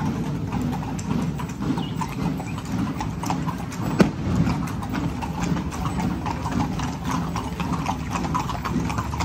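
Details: Horses' hooves clip-clopping in a parade in Zináparo: many sharp, irregular clicks stream steadily over a low murmur of crowd and traffic, with one louder knock near the middle.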